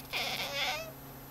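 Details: Domestic cat indoors, watching a cursor move on a screen, gives a single drawn-out meow lasting under a second, steady then slightly falling, with a faint electrical hum beneath.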